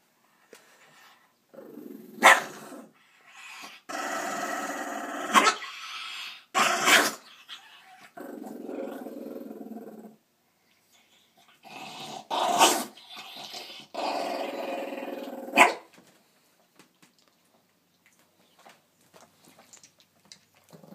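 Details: A dog goes wild when his food is taken: long stretches of throaty growling punctuated by sharp barks and snaps, then quieting to near silence at the end.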